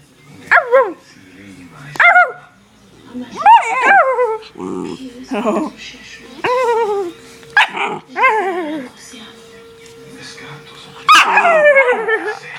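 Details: Domestic pet dog that habitually howls and barks, vocalising indoors: a run of about ten sharp, downward-sliding yelping barks at irregular intervals, some doubled, with a steady sustained tone in the middle and faint human speech.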